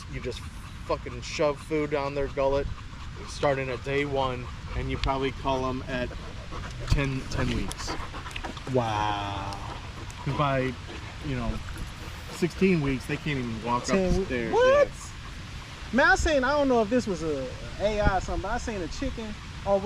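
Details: Male Staffordshire Bull Terriers out at a park in the evening keep up a long exchange of warbled whines and howl-like moans, roughly every two seconds, with panting and low background rumble.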